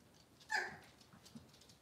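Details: Cavalier King Charles Spaniel puppy indoors in a kitchen among a breeder's litter, Robin's puppies, on a cloudy Monday morning; one brief, high, bright squeal with ringing overtones, then soft rustling and quiet room noise.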